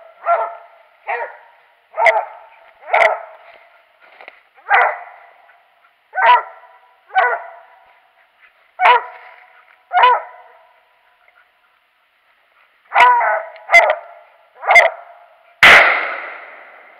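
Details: Hunting dog barking during a squirrel hunt on January 21, 2018: steady, evenly spaced barks about once a second, a short lull, then a fresh run of barks ending in a loud sharp bang.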